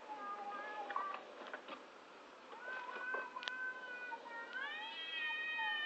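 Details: Two cats in front of a house make strange noises, heard as quieter, overlapping, wavering moans with faint clatter, ending in a clearer rising then level wail.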